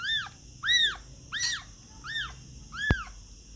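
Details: Baby cats giving five clear, high-pitched mews in under four seconds, each a short rising-then-falling cry spaced roughly every half second to second, with one sharp click near the end.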